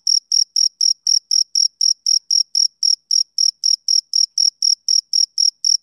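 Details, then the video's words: Shrill, rhythmic chirps from a male cricket, typical of summer evenings, come in short separate bursts about four per second, each pulse sharp and ringing, with no other sound around. "Cricket Chirping Sound Effect"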